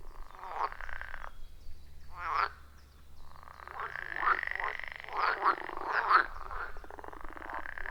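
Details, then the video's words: Frog chorus from a wild pond deep in the forest, recorded on iPhone 14 Pro and Shure MV88+: drawn-out rattling croaks and trills that build into a thick overlapping chorus in the second half. "30 Minutes of Frog Sounds at a Forest Pond"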